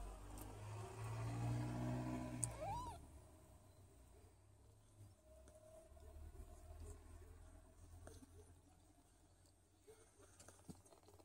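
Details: Low, even purring from a Don Sphynx cat for the first few seconds, broken by a brief arched meow. Quieter rustles and soft handling noises follow.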